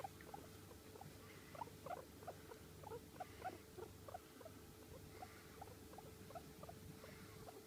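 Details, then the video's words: Long-haired domestic guinea pig, Sheltie or American Silkie type, softly vocalizing: clustered brief high squeaks during the first four seconds, then only scattered faint notes against a constant background hum. "毛長 モルモットの鳴き声"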